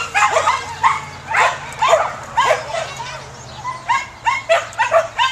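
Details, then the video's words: Samoyed working at a herding event gives bright, repeated barks roughly every half second to second, each with a slight falling pitch, over a steady low hum. "Samoyed Dog Herding #2"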